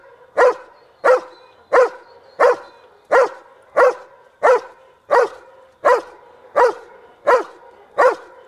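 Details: A 19-month-old dog in protection training barks in a blind, rewarded with a ball: loud, sharp barks repeated steadily about every 0.7 seconds, twelve in a row, with little background sound.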